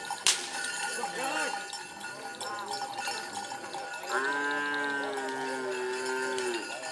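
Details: Madura cattle at bull racing practice in Asemanis, Pamekasan, Madura; chatter and clanks first, then a long, steady moo of about two and a half seconds.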